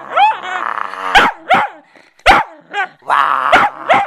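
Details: Playful Bedlington Terrier tugging at a cloth: strained whining growls alternate with short sharp barks, about five barks spread through the stretch, with brief quiet gaps.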